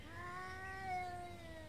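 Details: Beaver Falls street cats in a daily morning standoff over food, usually not getting physical: a long, low, steady caterwaul that swells gently and then sags, heard at moderate distance.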